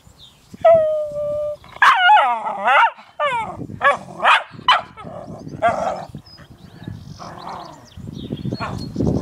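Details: Diesel, a Cairn Terrier, with a new toy: high whining whimpers with sliding tones, a held whine then a run of short rising and falling yelps, with a voice speaking over the later part.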